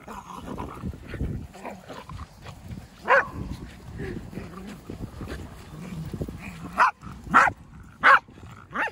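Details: Pembroke Welsh Corgi, a pet dog at home, barking during play: four short sharp barks near three, seven and eight seconds, with people laughing and talking and low indoor rumble underneath.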